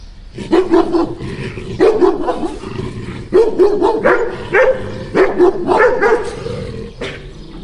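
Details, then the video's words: Two dogs barking: loud, harsh barks in quick bursts of two to four, overlapping at times, with short pauses between bouts. "Two dogs barking"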